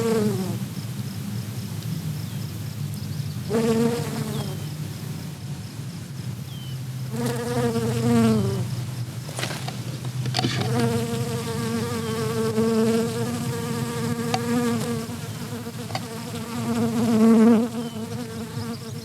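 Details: A honeybee forages on red clover in a meadow on 13 July 2021. Its steady, fairly high-pitched buzz swells and fades as it moves close and away again.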